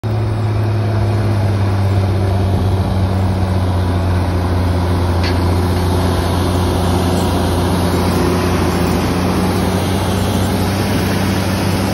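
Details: A loud idling truck engine hums steadily throughout, with one brief high squeak and no animal calls.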